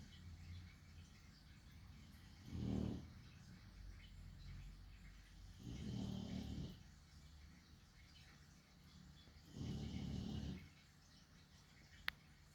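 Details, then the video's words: Sleeping chonky dog snoring: three low, rumbling, breathy snores come roughly every three to four seconds, separated by quiet stretches of steady background hum, with one sharp click near the end. "Just 4 minutes of a chonk dog sleeping with occasional snoring"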